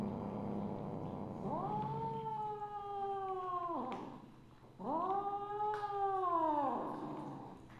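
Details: Two long, wailing meows from Misu, a Siamese mother cat, evening of 2 January 2015. Each rises quickly, holds a steady tone for about two seconds, then drops off, with a short pause between them.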